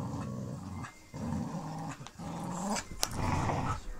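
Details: During tug play, Pit Bull Terrier Lucy lets puppy Clyde drag her around. Deep throaty growls run in three bursts separated by brief pauses, with a sharp knock near the end. Phone recording, low light.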